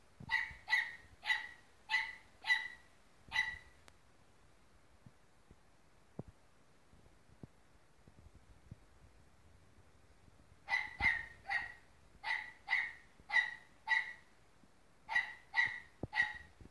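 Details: Dog fight between a Dachshund and a Golden Retriever: a fast series of sharp barks about every half second, a long near-silent pause, then another volley of repeated barks.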